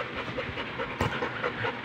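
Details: A Rottweiler pants in quick, breathy, rhythmic puffs, likened to a boat engine, over a low rumble of background noise.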